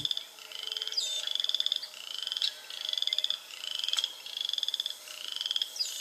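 A boreal chorus frog gives short, rising, rapidly pulsed trills, repeated about once a second.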